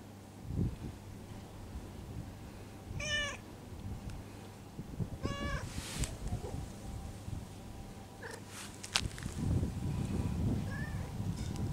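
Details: Stray cat mewing softly as its lower back is tapped; two brief harmonic meows near the start, then patting thumps, rustling handling noise and a faint short squeak later.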